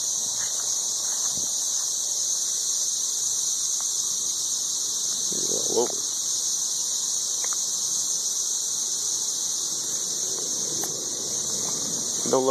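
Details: Swarms of mating 13-year periodical cicadas up in the trees around Nashville, Tennessee, produce a continuous piercing whine at steady volume, while a man speaks softly now and then underneath.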